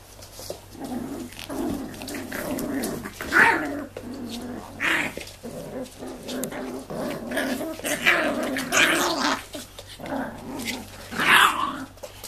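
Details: Six-week-old Tibetan Terrier puppies of the Tingsha Bells line, indoors, growling in low, rough bursts that rise and fall in short waves for about twelve seconds, with a few sharper, higher yips breaking through.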